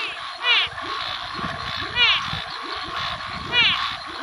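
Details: A Brazilian frog gives short, ringing, arched calls about every second and a half over a busy chorus.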